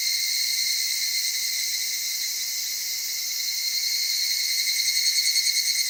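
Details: Evening cicada, described as soft-voiced, in the cedar forests of Okutama, Tokyo, Japan, at dawn or dusk: shrill steady insect chorus that grows into rapid rhythmic pulsing over the last second.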